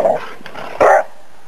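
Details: Australian Terrier and Black Terrier dogs romping and playing in water; two short, sharp barks about 0.8 seconds apart, the second louder and fuller, over a low steady background hum.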